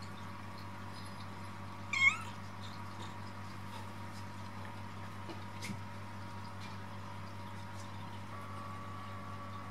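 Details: A Munchkin mother cat, just after safely giving birth to four kittens in her second litter, gives one short, rising-and-falling meow over a steady indoor hum.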